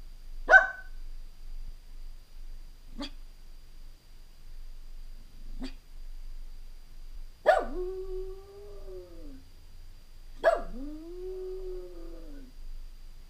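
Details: Stanley, a Jack Russell Terrier left home alone indoors for a few hours, gives three short, sharp barks spaced a few seconds apart, then two loud yelps that each stretch into a long, wavering, falling howl.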